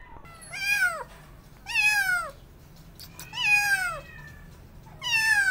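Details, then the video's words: Two abandoned feral kittens during a late-night rescue at a house, giving drawn-out, wavering meows that fall in pitch, four calls spaced about a second and a half apart over quiet background. "Kittens Hissing & Spiting"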